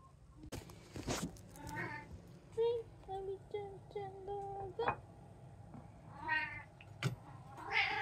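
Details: Indoor cats from a home with three (tabby, Munchkin, Abyssinian), 5 September 2024, around feeding; a series of short, fairly level meows and a few longer rising ones, mixed with a person talking and clicks and knocks.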